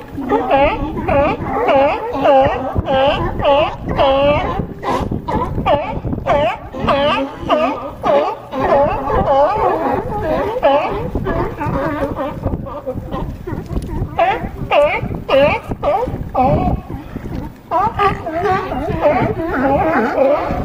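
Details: California sea lions on a harbor dock at Crescent City, California, keep up a dense, overlapping chorus of hoarse, harmonic barks. The barks come about twice a second and run without pause throughout.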